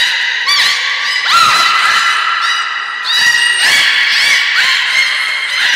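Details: Captive belugas Hodoi, Taanya and Mirai in training at Port of Nagoya Public Aquarium, 1 November 2020, give a steady stream of looping, harmonic chirps and upswept whistles, with one long sliding squeal near the start.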